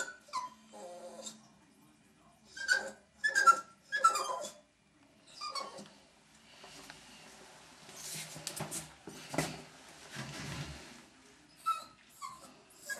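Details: A Jack Russell Terrier puppy sees himself in a bathroom mirror and gives sharp, high yips and barks in short bursts, with whimpering between.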